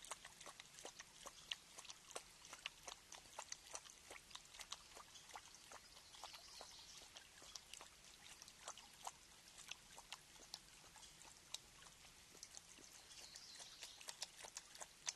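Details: A mountain lion at MPG Ranch drinks, lapping water in quick, wet, irregular clicks and splashes.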